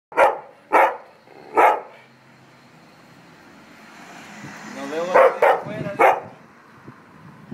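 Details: Dog complaining, recorded January 2015: three sharp, loud barks in the first two seconds, a quiet pause, then a cluster of higher, tonal, yelping barks with a rising edge just after five seconds.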